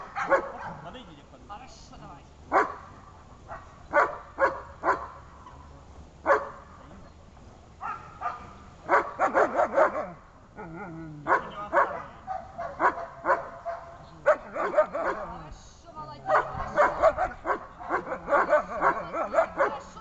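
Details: First protection training of a German Shepherd: bursts of loud, clipped barks, sometimes several in quick succession, separated by quieter pauses, with a person talking in between.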